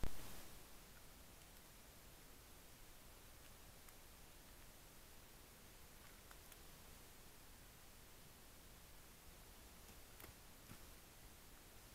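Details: Faint, steady hiss with a few soft clicks and rustles, otherwise near silence.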